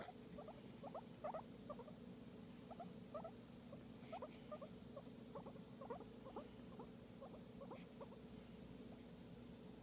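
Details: While receiving a massage, a guinea pig gives a long run of short squeaky chirps, often in pairs, fairly even in pace, over a constant low hum.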